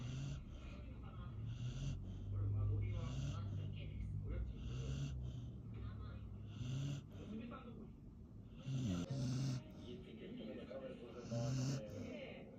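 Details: Labrador Retriever in deep sleep, snoring in low rumbling breaths that rise and fall irregularly, with bursts of hissing noise and a person's voice speaking over the snores.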